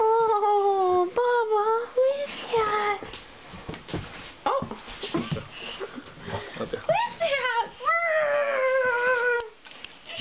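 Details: Bubba, a Johnson American Bulldog aged 2½, whimpers over a big stuffed animal from Santa at Christmas, indoors. Wavering, high-pitched whines open and close the passage, with a noisy stretch of rustling and movement in between.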